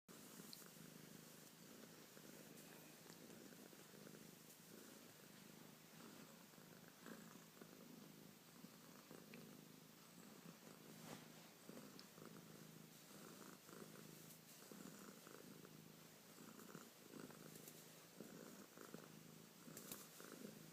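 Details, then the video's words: Domestic cat named Bubbles purring indoors, a steady low rumbling throb running continuously under soft background hiss. "Bubbles doing that thing cats do..."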